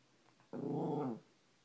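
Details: Cash, a small Maltipoo, growls at his reflection in a bedroom mirror: one low rumbling growl lasting under a second, with faint room hiss before and after.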